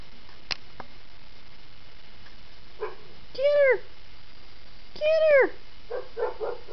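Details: Two four-month-old kittens play fighting indoors. Two drawn-out, arching meows come about a second and a half apart. Short soft chirps and scuffling sounds are heard around them.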